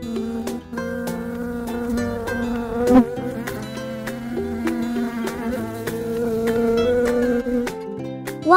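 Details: Wasp buzzing: a steady, fairly low droning whine held at one pitch with a rich harmonic edge, wavering slightly, over light background music.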